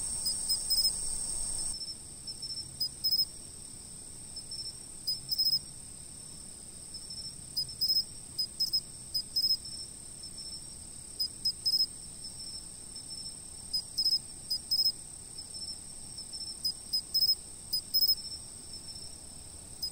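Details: Insects recorded by a fixed camera: a constant high thin ringing chorus, broken by short louder bursts of chirping that come every second or two.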